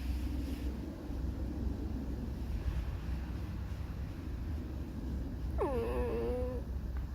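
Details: Alisa, a fox in an irritated mood, gives one drawn-out whining squeak near the end, sliding down sharply and then holding steady, after several seconds of low rumbling background noise.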